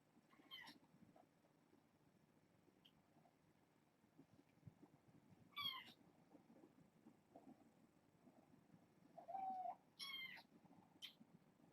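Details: Domestic kittens, a litter of four females and two males born August 29th, indoors at bedtime; several high harmonic meows scattered across the stretch, two close together near the end, over a quiet room hum.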